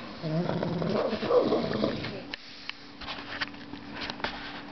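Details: Pet dog snoring indoors: a voiced, rumbling snore with layered harmonic tones lasting about two seconds, followed by a quieter room with a low steady hum and scattered soft clicks.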